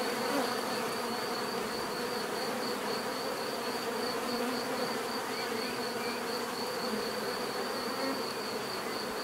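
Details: Many bees produce a dense, continuous droning hum, an even, unbroken wall of buzzing with no gaps, alongside a thin steady high-pitched tone.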